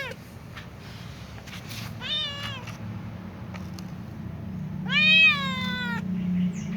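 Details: Little ginger cat meows while avoiding food near a catnip plant: two clear harmonic meows, the first short and falling, the second longer and rising then level, over a low steady hum.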